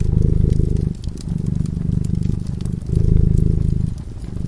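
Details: Peacefully sleeping next to a glowing fire, a cat produces a soft, throbbing purr in three waves, each steady rumble separated by a brief dip, while the fire crackles faintly.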